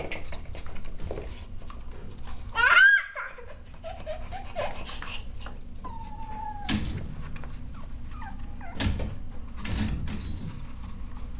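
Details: Six-week-old Cavalier King Charles Spaniel puppies at playtime indoors: one sharp, high, wavering yelp early on, later a short falling whine and a brief squeak, over steady scuffling, tapping and clattering noises.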